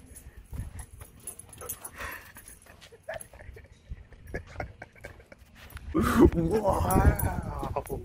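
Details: Excited Husky, jealous during a dog Halloween costume session, breaks into a loud wavering howl near the end, its pitch sliding up and down over two seconds, after quieter stretches of a person talking and rustling.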